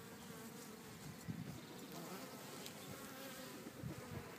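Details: Low, grainy hum of bees in a Cretingham back garden in Suffolk, steady and fairly faint, with two brief louder pulses as insects pass closer.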